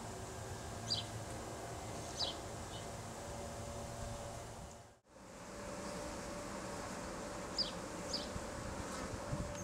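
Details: Honey bees during a rescue cut-out of a hive from a house in Los Angeles, where swarms surround the workers: a steady, dense buzzing hum throughout, briefly cut out midway, with faint clicks and distant background noise.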